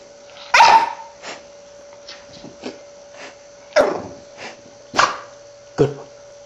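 A Shiba Inu gives sharp, sudden sneezes, a trained way of begging for food.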